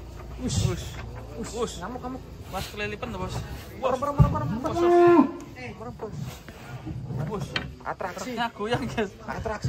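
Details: Giant cattle being unloaded from a truck in 2025: one drawn-out, low, bellowing moo about midway, with people talking and calling out and handling noise throughout.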